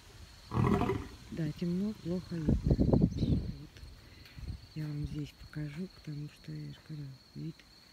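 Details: Two lions at Taigan park in Crimea on an evening of 26 May 2019 give a menacing roar: deep, rough bursts followed by a series of short, repeated low grunts fading out, while a woman talks over them.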